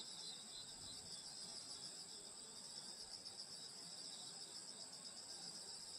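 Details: Nighttime summer insects in the countryside around a grandmother's house, a continuous shrill, layered trilling chorus with fast even pulsing and a faint low background hum.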